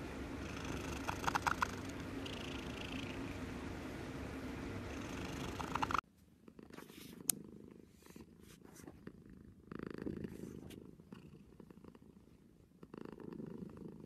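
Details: Domestic cat purring close up, a steady low rumbling buzz; after an abrupt cut at six seconds a second, quieter purr follows with soft swelling phases and a few faint clicks.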